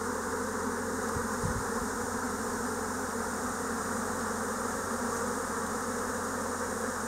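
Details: Swarm of Japanese honeybees in spring 2024, heard in a dense mass of flying bees: a steady, even, many-layered buzzing hum holding constant throughout without pauses or rises.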